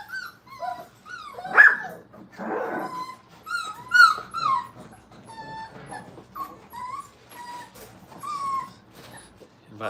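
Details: Crate-trained Brittany puppies at a kennel whine in scattered high, bending cries with a short harsh yelp-like burst, while people talk nearby.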